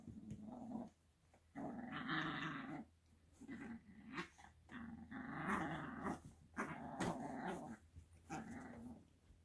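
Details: Italian Greyhound puppy, eight weeks old, biting a bed: several sustained rough growls of about a second each, rising and falling in loudness, with brief pauses and scattered chewing and rustling clicks between them.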